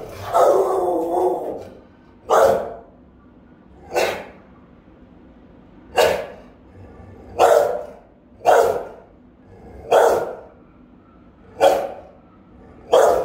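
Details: Rottweiler Melsee, with her pup Siro sometimes joining, barking while guarding the house on camera; a drawn-out opening bark, then deep, round, resonant single barks spaced about every one and a half seconds.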